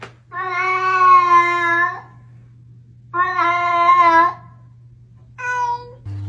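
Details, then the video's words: Domestic cat giving three drawn-out, nasal, strongly harmonic meows: a steady two-second meow, a slightly shorter one after a pause, then a brief clipped one. A low steady hum runs underneath. "Talking Cats"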